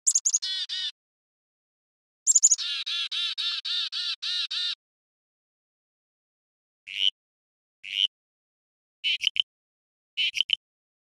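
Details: Frog calls compared as high- and low-arousal: two bursts of rapid, harmonically rich pulsed notes at the start, then four short separate notes spaced about a second apart after a pause, in a quiet setting.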